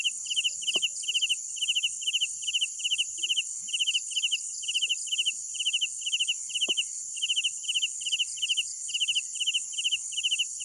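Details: Nighttime cricket chorus: a loud foreground cricket trills in quick pulsed bursts, roughly two per second, set against a constant thin shrill hum of more insects; two soft knocks.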